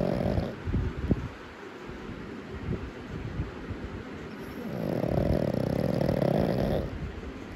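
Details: A black pug puppy snorting while sleeping: short, wet, throaty bursts through its flat nose, then a longer buzzing, rasping snore-like rattle that swells and fades over about two seconds.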